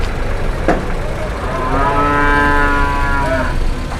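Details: A raging cow, aggressive and approaching, gives a long, steady, strongly harmonic low moo lasting nearly two seconds, then tapers off, over rumbling engine-like background noise and a single sharp knock.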